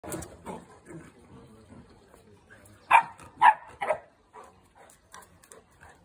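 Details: Two Boerboels playing together, giving three loud, sharp barks in quick succession midway through, with quieter scuffling and low sounds before and after.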